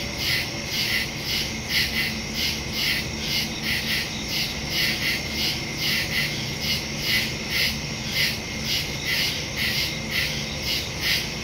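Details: Crickets chirping at night in the woods, recorded September 2, 2023 on a Samsung Galaxy S22 Ultra phone with a Shure MV88+ stereo microphone; high, shimmering pulses repeat about twice per second over a steady insect hiss.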